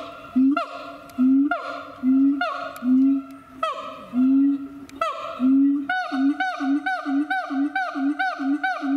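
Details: Siamang calling at Chiba Zoological Park in Japan, long rising hoots sounding about once a second, then a quickening series of short, bright whoops several per second, rich harmonics stacked above each note.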